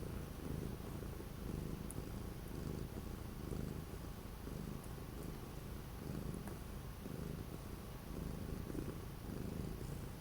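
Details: Orange cat purring indoors on 12 January 2025, sheltering from persistent strong wind and cold; the low rumble swells and fades in pulses roughly once per second, with faint soft ticks.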